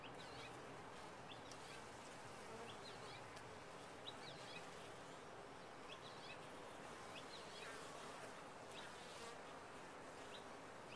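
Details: A steady hum of bees in a top-bar hive continues throughout, while short high chirping notes, like birds, come through faintly in the background several times.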